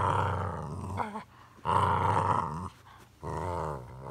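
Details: Odin the German Shepherd and little dog Bella team up to attack and harass Samson the Boxer; three deep, rough growling bouts about a second each, separated by short quiet gaps.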